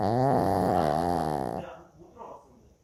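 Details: Loud snore from Choco, a pet Shih Tzu, a rough, vibrating rasp held about a second and a half, then fading into soft, breathy snuffling.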